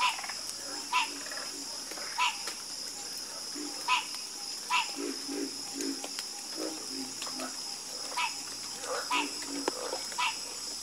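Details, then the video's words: Frogs croak in a soothing chorus: sharp, resonant calls pop out every second or so among murmuring lower croaks and rattles. A steady high-pitched drone continues in the background. "Calming Sound Of Harmonious Frog Croaking"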